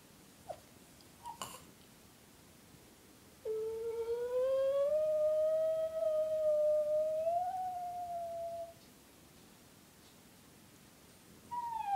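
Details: Eva, a female Brussels Griffon, gives a soft, sustained howl of about five seconds. The tone is steady and pure with a slight rise and waver near the end. A few faint clicks come before it, and a new howl begins just at the close.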